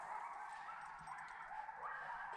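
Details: A coyote pack in the Alabama woods, heard in the dark early morning during a deer dog hunt, calls together in a dense, overlapping chorus of high yips and wavering howls.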